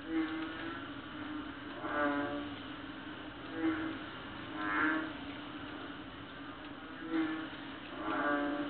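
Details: Night chorus of small but very loud frogs on Palawan, late August, likened to a cow's call: five or so buzzy, lowing croaks spaced irregularly, some swelling longer, against a continuous low background hum.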